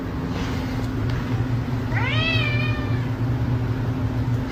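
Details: Domestic cat giving a single drawn-out meow that rises then falls in pitch, lasting about a second, over a steady low rumble of engine or traffic noise.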